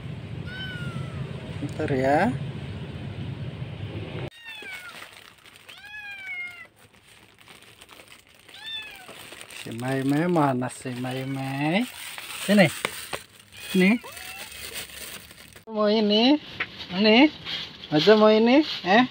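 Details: Kitten meowing in a series of short cut-together scenes: high, arched meows that rise then fall, some in quick runs of several calls, with louder clustered meows near the end, mixed with lower voice-like sounds and background noise.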